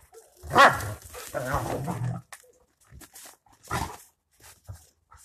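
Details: Two Rottweilers during a warm-up: a loud gruff bark, a low rumbling growl lasting about a second, then quiet scuffling and a second bark.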